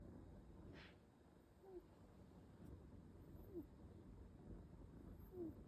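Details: Marong, a sleeping kitten, snoring softly indoors: faint, low, breathy snores recurring roughly every two seconds over a steady quiet room hiss, with no other voices.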